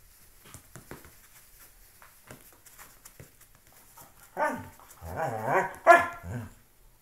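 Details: Loki, a pet dog, playing with a shoe indoors: quiet scuffling and taps, then from about four seconds a run of rising and falling rumbling growl-whines ending in a sharp bark.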